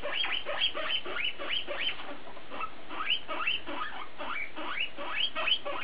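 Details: BooBoo the guinea pig talking: quick series of high squeaky whistles, each sweeping sharply upward, delivered about three per second in an unbroken chattering run over faint steady hum.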